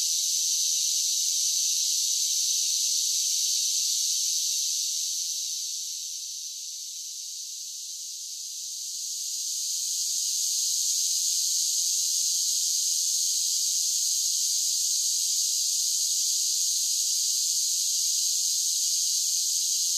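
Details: Soothing summer cicada song: a thick, sustained, shrill buzzing that dips in volume around the middle, then rises again to a steady, unbroken drone. No other sounds.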